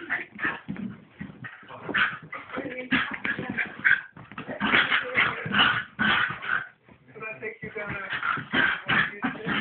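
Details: Two household dogs wrestling in play: nearly continuous rough, throaty barks and growling snarls, roughly one per second, loud and uneven, briefly dropping off mid-way before resuming at full intensity; narrow, tinny recording.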